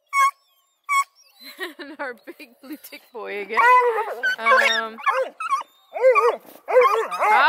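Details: Bluetick, Redbone and Black and tan hounds at a kennel near Kingston, Ontario, Canada. Two sharp yelps come first, then a chorus of rising and falling bawling howls grows louder and denser toward the end.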